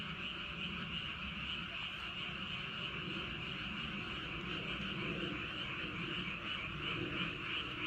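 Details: Frogs calling at night in Andong, South Korea, around Wolyeonggyo bridge and Hahoe Village: a dense, continuous chorus of overlapping croaks, with a steady low rumble of wind underneath.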